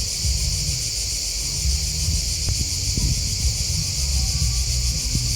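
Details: Crickets keep up a constant shrill, pulsing chorus. Faint low thumps and a brief sharp click sound beneath the insect drone.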